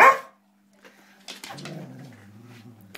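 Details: Springer spaniel playing with food gives one short sharp bark, then after a pause a low, rough, rumbling grumble that lasts over a second.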